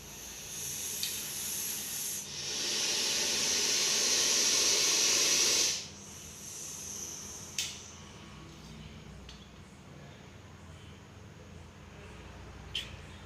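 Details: Russell's viper caught in Coimbatore, a deadly venomous snake, produces a strong drawn-out hiss lasting several seconds after shorter earlier puffs, followed by quiet with a few faint clicks and knocks.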